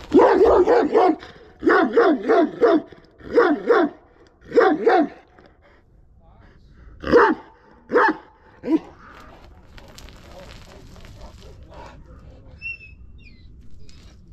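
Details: Kangal dog behaving aggressively, giving loud clustered barks in quick pairs and triples, then a few single barks before fading into quiet background noise with faint distant sounds.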